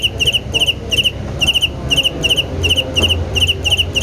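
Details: Cricket chirping rhythmically: short, high, pulsed chirps of about three quick pulses each, repeated several times a second with small irregular gaps, over a low background rumble.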